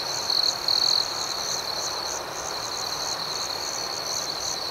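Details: Crickets chirping at night: two short, loud, piercing tones open the stretch, then an unbroken high trill continues with quick, irregular pulsed chirps riding over soft hiss.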